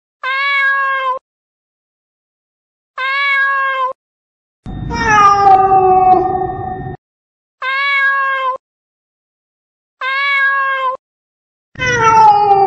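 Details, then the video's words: Cat sounds meant to frighten rats: evenly spaced level meows repeated every few seconds, broken by two longer, harsher, noisier yowls that slide downward in pitch. No other sounds. "Sound of Cats to scare the Rats"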